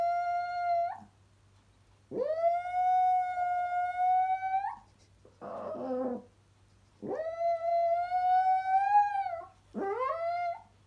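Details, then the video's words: Chihuahua howling along to an ice cream van tune: long sustained harmonic wails that rise then hold steady, four howls separated by short pauses, with a brief noisy burst between the second and third. "Chihuahua sings to ice cream van tune"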